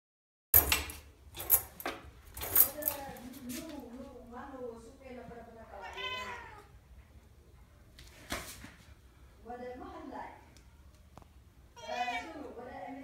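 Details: Domestic cat indoors, fighting and playing with a furry key holder, jumping up and down at a door; several drawn-out meows with rising then falling arcs, mixed with sharp knocks and a person repeatedly telling it to stop.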